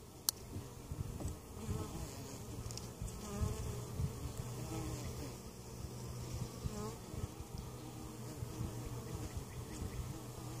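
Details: Honey bee colony in an opened hive at Mt. Perry, Ohio, weak after winter, during inspection with queen and capped brood found and varroa mite treatment; dense low droning hum of many bees with steady tone, sharp click near the start.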